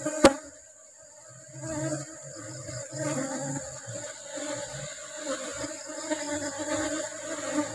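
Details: Asian honey bees humming at a hive during the honey harvest, while the rubber trees are in bloom. A steady low drone runs throughout, with faint scattered handling noises and a sharp click near the start.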